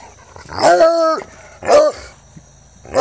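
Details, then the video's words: Treeing Walker Coonhound Jax, almost four, having fun: a long harmonic bay that climbs and falls over half a second, followed by a shorter arched bark and the start of another. "Treeing Walker Coonhound Howling, Baying, and Having fun"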